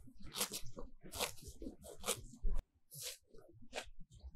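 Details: Grazing cows in a sunlit field, heard up close as they tear grass with their tongues: loud crackling rips roughly every second, with deep chewing thumps between them and a brief pause near the middle.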